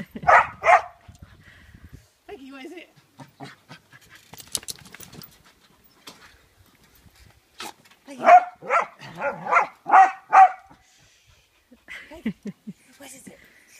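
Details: Kerry Blue Terrier named Peggy playing on a trampoline, giving short sharp barks in pairs at the start, then a rapid run of five or six barks, with quiet human talk and faint thumps between.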